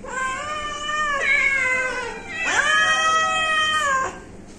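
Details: A pet house cat gives two long, loud, drawn-out meows, each over a second long, rich in harmonics and bending down in pitch at the end, followed by a brief quiet tail.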